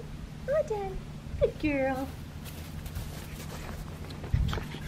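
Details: Australian Shepherd puppy, a black tri female from a breeder, gives short high whimpering whines, two rising-falling squeals then a longer wavering whine, with a person talking and low room hum behind.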